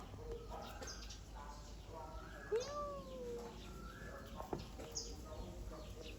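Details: Kitten giving one clear drawn-out meow that rises then falls, with fainter short mews before and after, over people talking and steady background noise.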